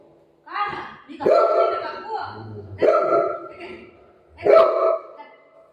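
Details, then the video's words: Golden Retriever playing and crazy for dosa, giving loud, deep barks spaced about every second and a half, with a woman speaking Marathi nearby. "Golden Retriever Crazy for Dosa !"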